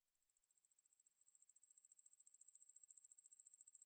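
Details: Ruspolia lineosa katydid, recorded by Korea's National Institute of Biological Resources in 2020: a high, thin buzzing trill of rapid even pulses, roughly eighteen per second, growing louder over the first seconds, with no other sounds.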